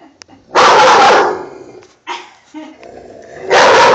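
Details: Dog barking at a poster board of an army man, a long rough bark followed by a pause, quiet murmuring, then another bark starting.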